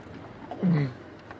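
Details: A male lion gives a brief, deep moaning contact call close by at sunrise in Sabi Sand on September 27, 2016, keeping in touch with pride members to the east; possibly one of the other males.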